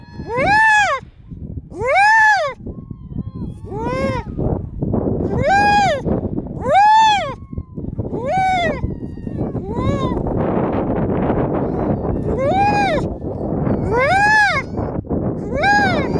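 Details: Baby harp seal filmed at close range in 2019, giving a series of loud, wavering, bleat-like cries with rich harmonics, about one every one to two seconds, with steady noisy background between calls.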